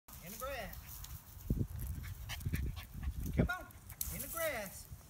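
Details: Keeshond dog during a training session: two high, arching whine-like yelps rising then falling, at the start and near the end, with a person talking and thumping movement sounds between.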